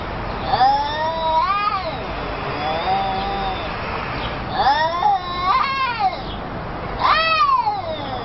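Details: Talkative domestic cat giving a series of bending, warbling meows in bursts roughly every two to three seconds, each sliding up and down like chatter, with quieter moaning tones between.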